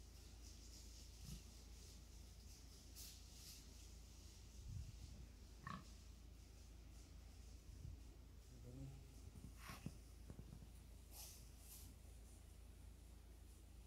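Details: Wild pigs in a forest meeting a man: low, short grunts scattered through a quiet background, irregular rather than rhythmic, with faint rustling and a few sharp clicks between them.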